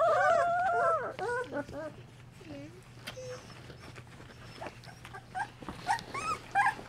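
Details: Golden Retriever puppies aged two weeks, being cleaned and nursed by their mother Mercedes, give a long wavering whine at first, then scattered squeaks and soft whimpers amid rustling and a few clicks.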